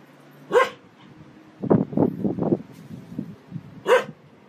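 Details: Domestic dog, from a compilation of funny barking clips, giving two sharp, bright barks about three seconds apart, with low murmuring and rustling sounds in between.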